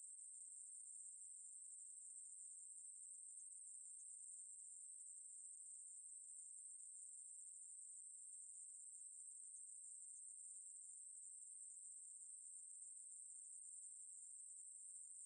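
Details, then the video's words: Ruspolia katydid song from Korea's National Institute of Biological Resources, 2020: an unbroken, very high, steady buzzing hiss held without pause for the whole fifteen seconds, with no other sounds. "매부리, 여러번 듣기, 곤충소리"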